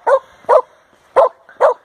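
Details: Samoyed on a halfpipe in a skateboard park in Nairn, Scotland, giving four short, sharp mid-pitched barks in quick pairs over two seconds, with a person calling encouragement nearby.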